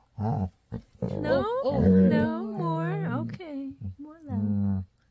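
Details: A female Labrador Retriever at bedtime at night gives a drawn-out, happy, talkative growl, its low voice rising and falling in several rolling moaning phrases; a person's voice may be mixed in.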